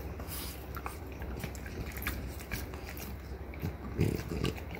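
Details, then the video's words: Two female French Bulldogs, mother Ume (3 years 1 month) and daughter Roku (1 year 6 months), gnaw deer antler indoors; quiet scattered crunchy clicks and scrapes over a low steady room hum, with a louder thump near the end. "french bulldog フレンチブルドッグの親子がただ鹿の角を食べるだけの動画！"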